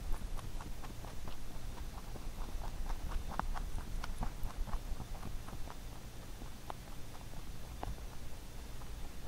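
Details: Rabbit munching a carrot-made songpyeon rice cake for the Chuseok holiday, closely recorded: steady, sharp crunchy bites repeated in quick uneven bursts throughout, with a faint low hum beneath.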